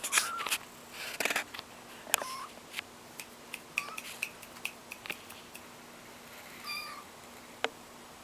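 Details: Kittens learning to walk indoors give short high mews scattered among frequent clicks and pattering taps, a steady faint hum underneath.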